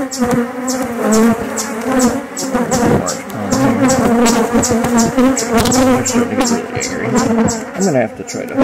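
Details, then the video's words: Inspection of a relocated honey bee hive: a loud, continuous, droning buzz with rich overtones that wavers in pitch, with a fast regular ticking running behind it throughout. "Beehive Inspection, Checking in on a relocated Hive."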